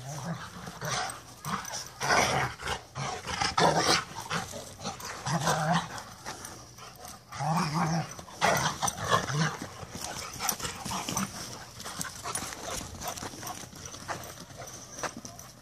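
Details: Two Rottweilers playing a chase game growl and grumble in rough bursts, with short barks now and then.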